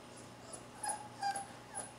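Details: Four-week-old Akita puppy after its first bath, giving faint, short, high whimpers, two or three thin tonal cries spaced under half a second apart over a quiet indoor background.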